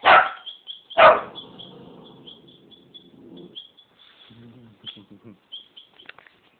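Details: Eleven-week-old Rottweiler puppy Bailey gives two loud, sharp yaps about a second apart, followed by lower grumbling and a short run of soft, throaty sounds, with a constant thin high tone behind.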